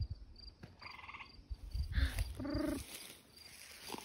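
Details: A gray treefrog gives short, musical pulsed trills at night near Killbear National Park, Ontario, with crickets ticking and low voices of people trying to find it.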